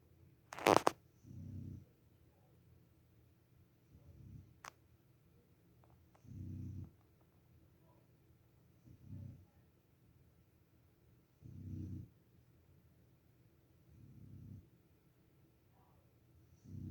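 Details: A sleeping Boxer puppy snores softly with low, rumbling breaths about every two and a half seconds. A sharp, loud click comes near the start.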